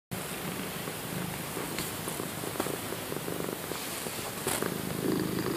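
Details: Female Domestic Shorthair cat, a quiet, loyal shelter cat up for adoption who shows happiness by purring rather than meowing; low, steady rumbling purr under a continuous hiss, with a few soft clicks and taps.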